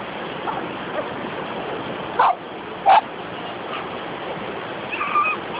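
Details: Poodles having fun by the sea: two sharp barks close together, then faint yips, all over a constant hiss of surf.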